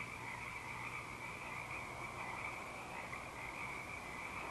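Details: A dense night chorus of frogs in full song at Eaglecrest on 19 March 2012, with many high, overlapping trills and croaks merging into a steady shimmer, and an owl hooting in the background.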